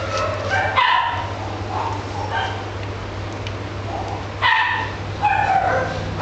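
Shrill, clipped yips and thin barks from an Italian Greyhound come in bursts, some sliding into whiny tones. A constant low electrical hum runs underneath throughout.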